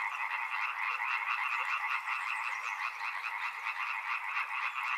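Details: Short burst of a frog chorus beside a river: many frogs give rapid, grating, pulsed croaks that blend into a steady throbbing din.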